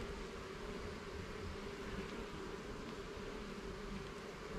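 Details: Steady, slightly rough drone of honey bees in a garden hive while its frames are inspected, with no other clear sounds.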